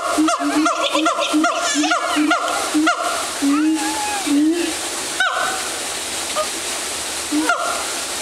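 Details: A siamang (Symphalangus syndactylus) at Woodland Park Zoo, Seattle, gives a rapid series of loud, hooting barks over steady background noise.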